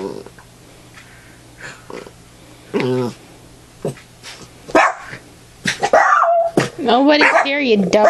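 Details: Ambrose the pet dog, roughhoused in play at home, lets out a single growl early, then a burst of whiny growling yips near the end, mixed with talking and laughter.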